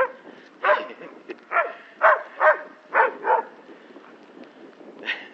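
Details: Alaskan Malamute playing with a cow gives a run of short, harmonic barks and woofs, about six bursts in quick uneven succession, while people speak Spanish nearby.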